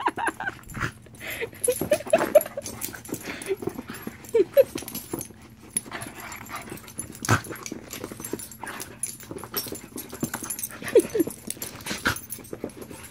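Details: A Shiba Inu with another dog, reluctant to share: short, thin, high whines come in small clusters around two, four and eleven seconds, with scattered rustling and soft knocks between them.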